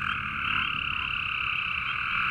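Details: Male Cope's gray treefrogs call by a pond with a steady, harsh, buzzy trill that holds its pitch, while spring peepers give occasional peeps.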